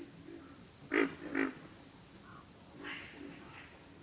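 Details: Low pig frog grunts, a pair of rough pulses near the start and softer ones later, with a continuous shrill insect buzz in the background.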